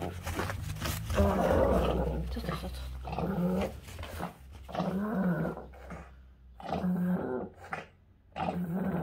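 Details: Pug convulsing from encephalitis, uttering deep, strained moans in drawn-out bursts of one to two seconds. The cries are hoarse and throaty, separated by short breaths and gaps.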